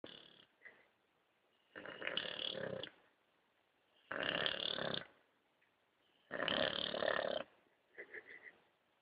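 An Old English Bulldog snores in loud, rasping bursts about every two seconds.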